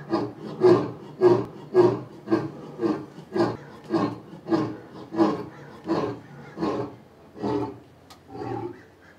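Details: An adult lion, playing with its cubs, gives a rapid series of deep, rasping, aggressive grunts, roughly two every second.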